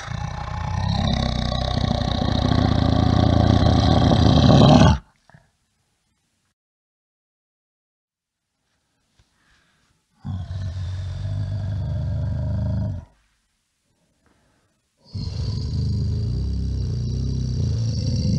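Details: Bear producing three separate low, rumbling roars of several seconds each, divided by stretches of silence. The first is the longest and harshest, and all carry a fast pulsing growl.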